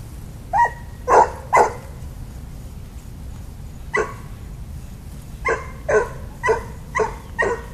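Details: Dog named Daisy barking excitedly at other dogs along the fence on the little dog side of a park: about ten sharp, loud barks in irregular bursts, a cluster of three then a pause and a quicker run of six.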